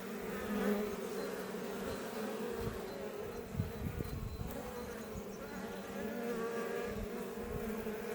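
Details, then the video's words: Honey bees of the Iberian subspecies around a Langstroth hive west of Roquetes, Catalonia, Spain, close to Els Port National Park; a thick humming chorus that rises and dips, with single bees droning past the microphone. "Honey Bees Healing Sound Effect"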